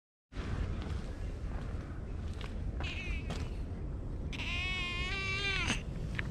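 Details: Stray cat found in a flower bed, being petted and climbing onto a lap; short faint mews, then one longer wavering meow, over loud rustling and handling noise, recorded on an action camera.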